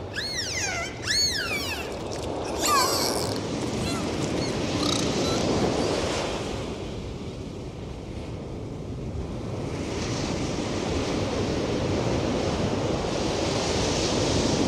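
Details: Dolphin whistles underwater: a burst of arched, repeated looping whistles and a few short upward chirps in the first three seconds, followed by only rushing water and surf-like hiss.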